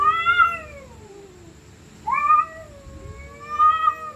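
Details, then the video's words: Angry stray cats fighting at night give two long yowls, the first gliding downward into a low moan, the second rising sharply then holding a strained, wavering howl. "Stray Cats Screaming At Night||Angry Cats Growling Sound|Cats Fighting Sound|Cat Making Creepy Sound"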